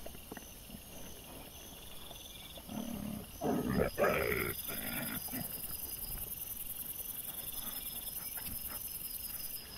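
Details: Wild boar piglets on a trail camera, 25 September 2024: a harsh, rough burst of grunting and squealing lasting about two and a half seconds midway, against steady high insect chirring and faint rustling.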